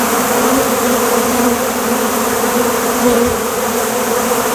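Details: A dense, steady, unbroken hum of many western honey bees flying together after a large honey extraction.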